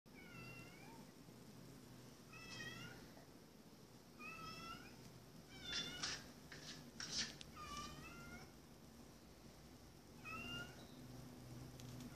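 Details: Blue, a male pet cat, meows a two-syllable "hello" while wanting to be let in through a door; about six falling meows spread over twelve seconds, with knocking or scratching sounds between them and a low steady hum behind.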